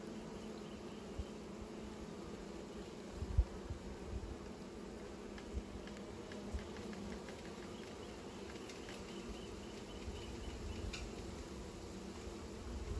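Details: Nest-building bees produce an unbroken low hum with a clear fundamental and higher overtones, while scattered soft clicks and taps dot the recording, one slightly louder knock early on.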